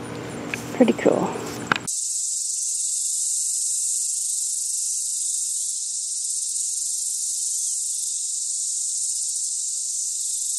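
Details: Cicada. A person speaks briefly, then cicadas take over with a continuous, high-pitched buzzing drone. The shrill wall of sound holds almost unchanged in pitch and loudness from start to finish.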